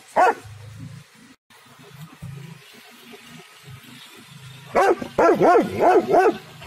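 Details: Dog barking loudly in a garden: one sharp bark, a long gap filled by a low steady hum, then a rapid burst of about five harmonic barks in under two seconds near the end.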